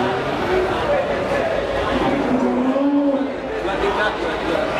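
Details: Simmental cattle ready for slaughter at the Kliwon cattle market in Kudus, Central Java, Indonesia; one low, drawn-out moo swells midway, half buried under dense crowd chatter and busy market noise.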